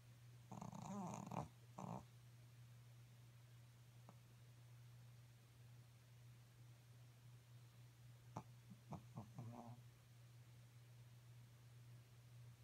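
A Pekingese snores in its sleep, a low continuous rumble underlying everything. Now and then a harsher, rattling snort breaks through, then fades back into the drone.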